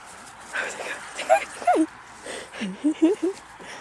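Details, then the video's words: Dogs at play: a West Highland White Terrier named Fergie with a Hovawart puppy. Short tonal whimpering yips, some rising and some falling, come in two bursts. A woman speaks softly in Polish over the start. "My westie Fergie play with puppy of Hovawart"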